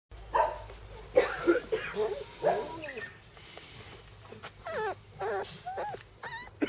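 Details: Bernese Mountain Dog puppies, a brother and sister, give high whimpers with harmonics and rising and falling pitch, running in short bursts in the second half, after softer noisy whines and rustling early on.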